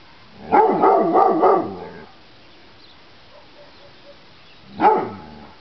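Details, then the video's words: A pet dog named Gucci barking loudly: a quick burst of several harmonic barks in close succession, a quiet gap, then one more sharp bark near the end. "Gucci barking"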